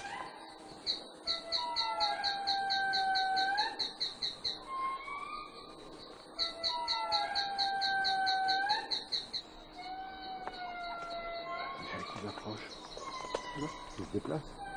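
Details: In Madagascar, a nearby indri group, not the observers' own, wails in long, sliding tonal notes that rise and fall; these are communication calls between neighbouring groups.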